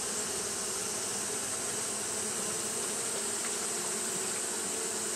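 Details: Steady wing drone from Japanese honey bees fanning through a hot day, a thick low hum that never pauses, with a bright continuous hiss riding above it.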